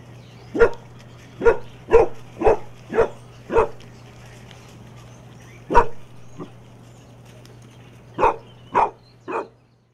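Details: A Basset Hound puppy plays in a kiddie pool on the 4th of July, at 105 degrees, getting muddy and giving a run of deep, full barks, then a few more after a pause.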